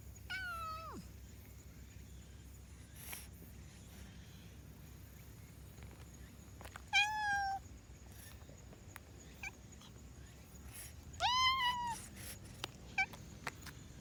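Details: Black-and-white house cat vocalizing as it yawns, giving three tonal, harmonic mews spread over fourteen seconds, the first sliding downward and the last a rising-then-level cry, with faint clicks and a constant low hum behind.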